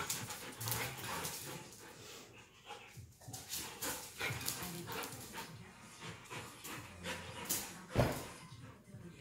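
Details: A Beauceron and a Tervueren playing together while confined, giving rough broadband bursts of scuffling and low growling noises in irregular spurts, with a louder sharp thump near the end and faint voices in the background.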